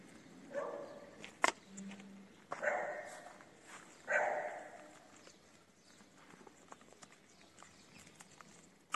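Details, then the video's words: A hungry feral kitten crying for food gives three plaintive meows, about two seconds apart, each rising then fading, with a sharp tap and light rustling between them. "A Kitten Is Crying For Food"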